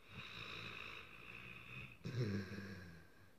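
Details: Dreaming dog asleep after a long day gives a thin, wheezy whine held for two seconds, then breaks into a short, throaty snort and grumble before settling.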